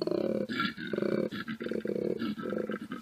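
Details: A koala (Phascolarctos cinereus) bellows, a deep, rasping, snore-like call in rhythmic pulses about every half second, alternating grunting breaths with buzzy exhalations.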